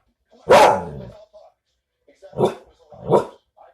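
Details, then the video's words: Pet dog giving a loud, drawn-out bark that trails off, followed after a pause by two shorter, softer barks in quick succession. "Giz barking"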